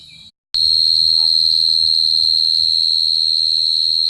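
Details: Short quiet moment, then a brief silence before a cricket's high, piercing trill starts abruptly and carries on steadily in fast, even pulses to the end.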